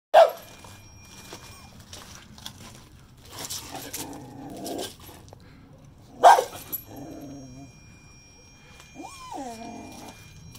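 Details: A dog confronting a javelina gives a few sharp, sudden barks several seconds apart, with soft grumbling sounds between them and a brief voiced whine near the end.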